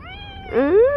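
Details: Stray cat in the morning at feeding time gives one meow: a brief nasal start, then a longer rising, slightly wavering tone, with a woman speaking softly just before and after.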